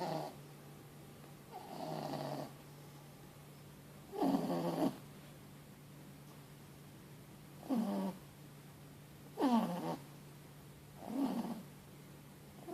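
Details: Snoring from a four-month-old Boston Terrier and French Bulldog cross puppy called Mochi, asleep after a long day. Six or seven raspy, rattling snores rise and fall at irregular intervals, some stronger than others, over a steady low hum.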